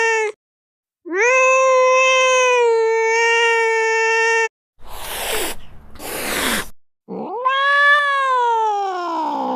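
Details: Angry cat yowling: a short cry, then a long level howl, followed by two harsh breathy hisses and a final rising, wavering yowl; nothing else audible.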